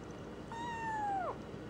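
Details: Four-week-old female foster kitten, snuggled in a bathrobe pocket and being petted, gives a single clear meow lasting under a second, steady in pitch and then dropping at the end, over a quiet background.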